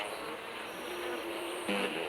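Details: Wing hum of Asian giant hornets during an attack while the colony rears larvae; continuous buzzing drone with stacked harmonic bands, a louder burst near the end, soft music behind.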